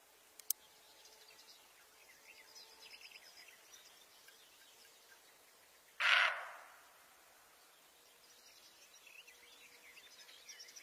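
A deer gives a single loud, harsh, bark-like call while small birds chirp faintly in the background.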